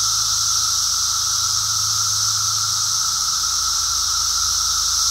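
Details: Periodical cicadas of Brood X during an emergence walk, recorded 2 June 2021. A steady, hissing, high-pitched chorus drones on without a break, with a fainter tone running steadily beneath it.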